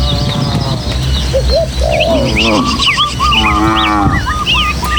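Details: Tame village cattle, part of a herd of dozens moving through hilly countryside and footpaths toward their pen, give drawn-out, harmonic moos, one wavering then a second lower one, over steady low hum, with frequent bright chirping birds throughout.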